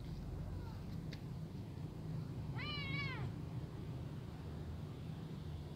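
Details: Brown kitten afraid in front of adult cats that are eating: one clear harmonic meow rising then falling, about three-quarters of a second long, over a steady low rumble of background noise with a couple of faint clicks.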